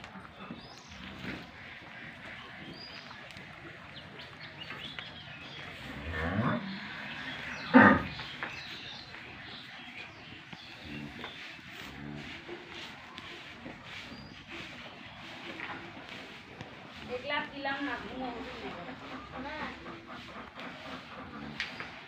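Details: Two-tooth cow kept with her young calf in Kagail union, Gabtali, Bogura district; a loud, drawn-out harmonic moo peaks near the eighth second, a fainter lowing follows later, with people talking quietly and farmyard background noise throughout.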